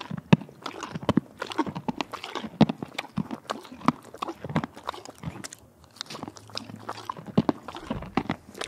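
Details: A horse in Lexington, Kentucky, at the Kentucky Horse Park, munching carrots, apples and peppermints; dense, rhythmic crunchy bites close to the microphone, with brief softer grinding spells between bursts.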